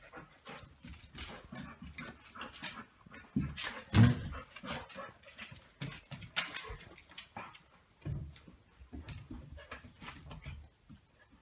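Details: Two golden retrievers at play, a 9-week-old puppy and its big brother tugging over a chew toy in keepaway; repeated panting, snorts and small growls with scuffling and knocks.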